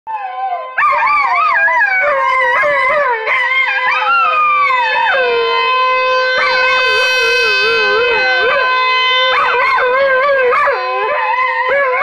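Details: Vizsla dog giving a sustained, wavering howl with rising and falling pitch sweeps, continuous for about eleven seconds after a brief start, with a steady underlying tone throughout.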